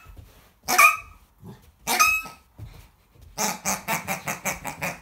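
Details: American Akita puppy facing off with a pig: two high, whining yelps with a rising pitch, a short gap, then a quick series of rapid, rhythmic barks.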